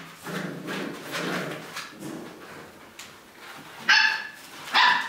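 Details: Puppies five and a half weeks old: soft low grunting and whining sounds give way to two sharp, high, harmonic yips close together near the end.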